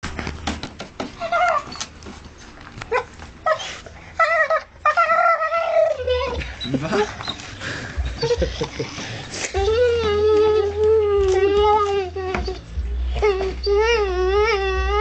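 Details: Female dog indoors making odd noises while chewing a stool apart; wavering, whiny vocal tones that rise and fall in repeated bursts, with people laughing and talking throughout.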